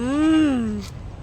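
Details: Domestic goat giving birth, with two young mentioned: a single smooth, loud bleat under a second long, rising slightly then sliding down in pitch with rich harmonics, followed by a short click and quiet background.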